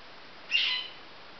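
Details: Baby marmosets: one brief, high-pitched squeaky chirp lasting about a third of a second, rising sharply then fading, set against otherwise quiet, faint background hiss.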